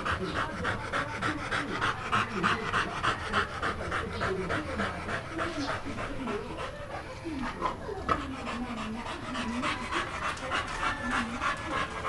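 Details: An American Pit Bull Terrier pants fast and evenly, about three breaths each second for twelve seconds, while people speak in the background.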